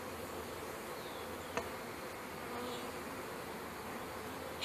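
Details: Many honey bees humming as a package is installed into a hive, May 2013, bees drawn to sugar on a hand; an even, unbroken swarm drone with a single soft knock midway.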